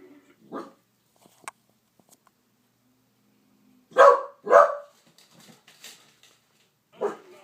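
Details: Female pet corgi at home barking at a TV commercial she hates, as she does every time it airs: four loud, harsh, broadband barks, two of them close together near the middle, with quiet gaps and faint background sounds.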